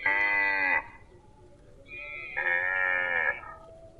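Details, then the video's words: Two bright, nasal moos from a grazing cow, the first under a second long, the second slightly longer with a brief higher lead-in, each strongly harmonic over faint background noise. "Cute and Funny Cow sound"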